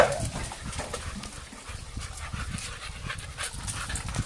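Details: Quick rhythmic panting from American Staffordshire Terriers, filmed on an Android phone: short, soft, airy breaths repeated steadily over a low rumbling background.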